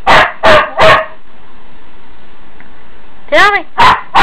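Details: Huskies in the morning, vocal about needing to go out: three sharp barks, a pause, then a rising-and-falling howling yowl followed by two more barks.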